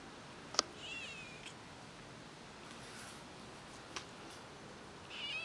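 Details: Domestic cat household with a grown kitten suckling milk from its pregnant mother; a short high wavering mew sounds near the start amid quiet room hiss, with a couple of sharp clicks.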